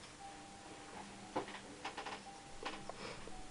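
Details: A quiet indoor room with a faint steady electronic tone, soft clicks and light handling noises.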